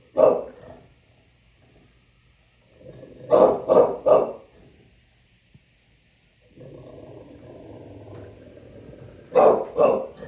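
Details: Bulldog in New York City barking: one hoarse bark, a rapid triple burst, a sustained low grumbling growl for about three seconds, then two more sharp barks.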